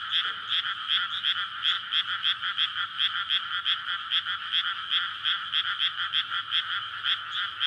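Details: Night chorus of frogs courting in a flooded paddy field in May before rice planting; many voices merge into a loud throbbing wall of croaks, pulses recurring several times a second with slight swells in volume.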